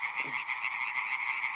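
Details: On a fine spring evening at De Mortelen en Scheeken, Brabant, a reintroduced population of male European tree frogs calls en masse to attract females: a chorus of rapid, nasal, rattling croaks repeated several times a second.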